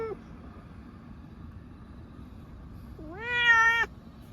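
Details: Munchkin cat on the way to an animal hospital for a blood test, one of two cats, Pochakun and Chabo: after near silence, a single drawn-out, rising then level meow, rich in harmonics, lasting under a second.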